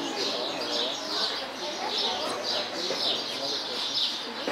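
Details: Cotton-top tamarin at Pairi Daiza: high, thin chirps repeated roughly once a second in a steady series, heard over a constant murmur of visitor voices and crowd noise.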